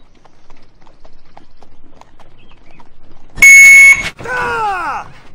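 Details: A donkey's bray, likened to an IV pump alarm, opens with a flat, piercing electronic-like tone, then slides down into a rough, falling note.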